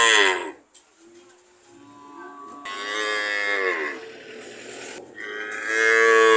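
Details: Cow mooing in several loud, harmonic bellows, the first fading out before a long drawn moo rises and falls in the middle, then another strong moo begins at the end.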